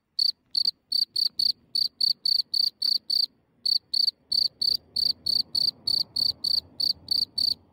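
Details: Close-range night recording in Germany of a cricket coming out of its hole, only centimetres away: bright, high-pitched chirps in a quick even series, a brief pause near the middle, then soft low background noise beneath the later chirps.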